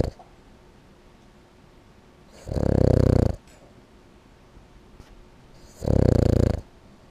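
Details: A male Boston Terrier snores loudly while asleep, in low, rattling bursts each lasting under a second with quiet pauses between.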